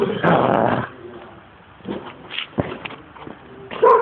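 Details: Excited pet dog giving a loud, drawn-out howling bark that lasts almost a second, then scattered softer vocal noises and a final sharp yelp, amid indoor sounds.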